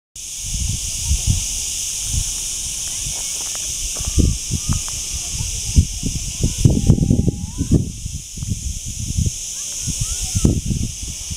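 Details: Cicadas (chicharras): a steady, high, hissing buzz in continuous bands, unbroken throughout, over heavy low rumbling wind or handling noise and a few faint chirps from other birds.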